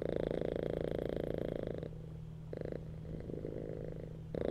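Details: Purring cat lying on a bed, a dense throbbing rumble strong at first, then dropping to a soft murmur with a short loud burst in the middle and a renewed swell at the end.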